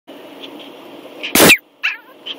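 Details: A 10-week-old Yorkshire Terrier puppy gives one sharp, high-pitched yip bark, followed by a softer, shorter second yelp, over a low steady background hum.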